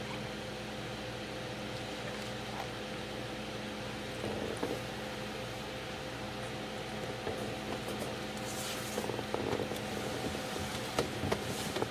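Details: Steady indoor hum like a fan or appliance, with faint clicks and shuffles, and no animal calls heard.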